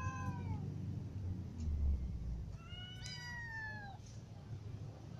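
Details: Hungry domestic cats, ginger, little and adult, give two fainter descending meows, one at the start and a longer falling one near three seconds, over a loud low rumble.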